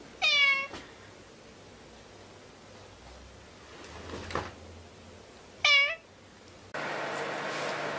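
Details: Domestic cat meowing: two short, sharply descending harmonic meows about five seconds apart, with quiet background and a burst of broadband noise at the end.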